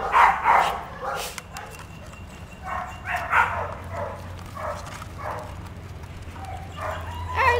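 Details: A pet dog during play with a toy lets out a series of short, loud yapping barks, irregularly spaced about every second, some paired close together, with a low steady hum beneath and brief human voice.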